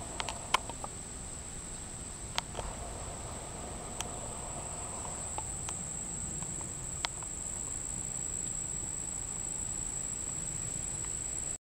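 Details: An unidentified insect near Monticello Lake, Arkansas, on July 14, 2012, at 6:31 pm, holds a steady, very high, thin monotone whine without pause, over low rumble and a few faint clicks.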